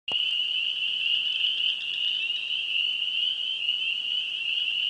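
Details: A dense chorus of spring peeper frogs in Wisconsin, high piping peeps blending into one steady shrill ring.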